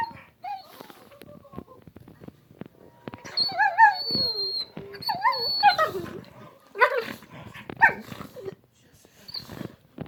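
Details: Two pet dogs playing together, making funny noises: whiny, yodel-like wavering tones and short yips with grunts and growly bursts, irregular and overlapping, some quiet gaps between outbursts.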